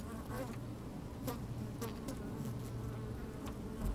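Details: Honey bees moving about inside an opened hive, microphone placed in the hive on a sunny day: low continuous drone with a sustained humming tone, crisp ticks and rustles scattered across it.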